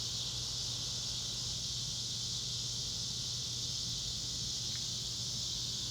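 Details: Cicadas droning together in the Arkansas Ozarks, an even, intense high buzz that never lets up, with a constant low hum beneath and one short click late on.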